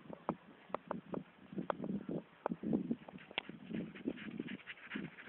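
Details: A dog breathing in quick, breathy, rhythmic puffs, with a few soft whimpering tones mixed in; the sound is quiet and close, and no other clear sounds are heard.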